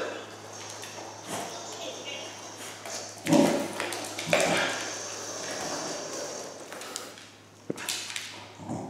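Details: Pembroke Welsh Corgi named Noah meeting a Sphero BB-8 toy robot for the first time indoors gives two short, sharp barks about a second apart, among electronic pings and taps from the robot and a person talking.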